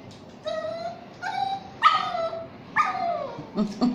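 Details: Shih Tzu and Yorkshire Terrier mix dog crying while being bathed: four drawn-out whining whimpers, each level then falling, spaced under a second apart, followed by short yelps, over a low background murmur.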